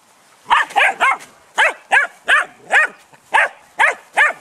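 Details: Almost 11-week-old Malinois puppies giving short, high, squeaky yelps, roughly two per second in an uneven series, each a brief rising-falling cry.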